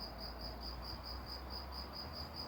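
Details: Cricket singing behind a person outdoors, a creature said to sing in the evening in forests, woods and gardens; a steady high pulsed trill, evenly spaced chirps repeating several times a second over low background rumble.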